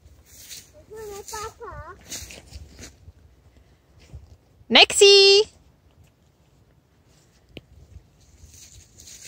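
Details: Pembroke Welsh Corgi. A Pembroke Welsh Corgi lets out a single loud bark, high-pitched and ringing, lasting under a second. Before it come soft, wavering voice-like sounds, and faint rustling or footsteps are heard in the background.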